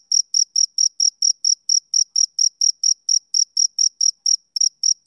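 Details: Close, clear chirps from a male cricket, about four per second. Each shrill burst is distinct and separated by short silences, with one slightly broken chirp near the end and no other sounds.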